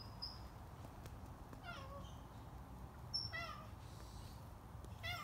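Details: A stray cat visiting a garage while it is cleaned gives three meows, at roughly one-and-a-half-second gaps. Each is a short, harmonic, mewing call that slides downward. A steady low background hum runs throughout.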